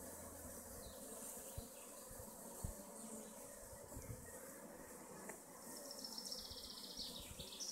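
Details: Hives of honey bee colonies in western Augsburg, Germany hum with a constant low buzz, joined by a few soft thumps early on and thin high bird calls near the end.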